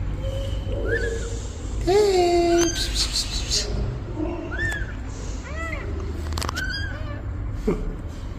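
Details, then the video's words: Mother cat asking for help beside her newborn kittens: scattered high, arched kitten mews and one longer, lower, drawn-out meow near the middle, over steady low background noise. "Mother cat ask for help! Newborn kittens meows"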